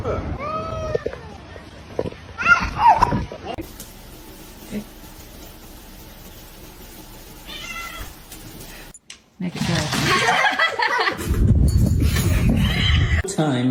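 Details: Domestic cat in a funny-cat compilation, giving a few short, bending meows in the first three seconds. Human voices and laughter overlap them, and a long stretch of murky background noise follows.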